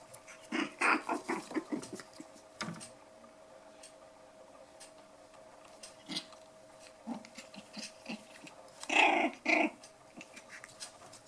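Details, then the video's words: Five-week-old poodle puppies at play, black toy and white dwarf pups named Bullet, Elsa, Erin and Mikasa, giving a cluster of rough, growly bursts near the start, scattered soft grunts, then two louder yelping growls near the end. "Lekande pudelvalpar. Playing poodle puppies."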